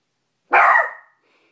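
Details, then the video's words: Cash, a little male Maltipoo, barks at his own reflection in a bedroom mirror he has just discovered: one sharp, loud, high bark that breaks off quickly into silence. "Cash maltipoo barking at mirror"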